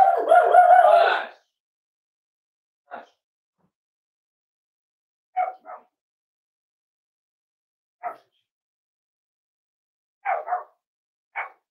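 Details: Cavalier King Charles Spaniel puppies almost 8 weeks old, at home. A long, loud, tonal whining bark comes first, then short, sharp yips spaced a few seconds apart, some doubled, in a quiet room.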